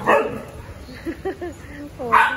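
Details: Golden retriever, one of two pet goldens, gives a few short, soft, down-curving whines in the middle, between a woman's Tagalog speech at the start and a louder voice at the end.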